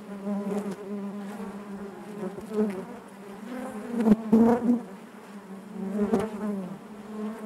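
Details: Inside a honey bee hive, a dense colony hum holds a low steady drone with layered overtones, rising in waves of louder buzzing and broken by brief sharp taps near the middle and later on.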